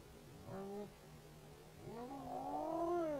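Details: Wild male Canada lynx on a property, searching for a female and calling to attract her. A low, wavering yowl: a short first note, then a longer one that climbs and bends, faint against background noise.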